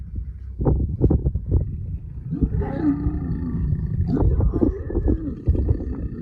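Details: Lions mating: deep rumbling growls and grunts, a rough snarling rise in the middle and choppy low bursts, with steady low background noise throughout.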